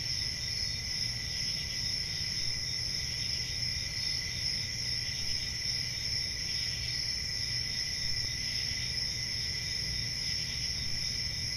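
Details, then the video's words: Continuous high cricket trilling from a forest on a summer night, several overlapping bright tones sustained evenly, plus a quiet constant rumble low in the mix. "Relaxing Cricket Sounds For Sleep Ambient Summer Night"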